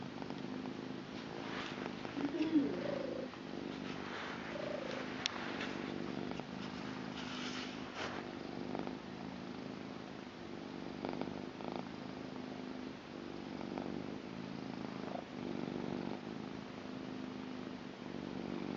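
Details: A blue female British Shorthair cat purrs steadily, a low rumbling throb that rises and falls with each breath.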